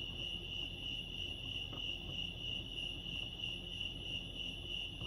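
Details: Continuous shrill cricket chorus at Lake Arrowhead in California, an even high-pitched pulsing drone that never pauses, over a faint low background hum.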